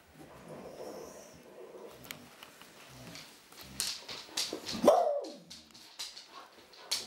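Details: Old female Clumber Spaniel; a single short yelping bark near the fifth second amid scattered clicks, rustles and faint voices.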